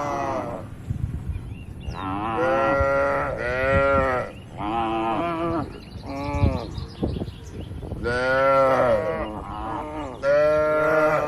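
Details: Tame cattle herded to graze in a wide, quiet oil palm plantation in rural Indonesia: a series of about six loud, drawn-out moos, each rich and droning, coming one after another with short pauses between.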